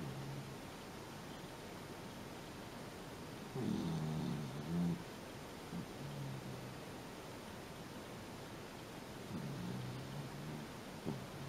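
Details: Shiba Inu dog sleeping on a sofa, snoring within seconds of lying down; low rumbling snores with a louder snort near four seconds, soft breathing otherwise, quiet room.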